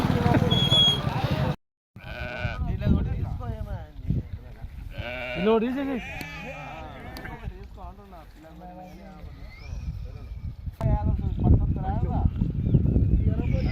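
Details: Sheep in a flock of 64 adults and 20 lambs, several wavering bleats rising and falling around the middle seconds, overlapping one another, with men talking loudly throughout and a brief dropout near the start.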